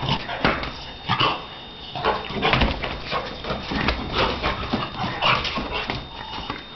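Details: Donna, a Shar Pei, at play, producing a dense run of short barks, yips and whimpers, several bursts every half second or so, over a faint constant hum.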